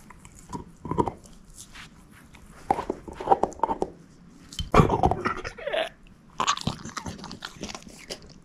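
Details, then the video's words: Female shepherd mix named Moose eating a bone, giving irregular crisp crunches and cracking bites in clusters, louder near the middle and the last few seconds, no voices present. "SHEPHERD EATING BONE ASMR"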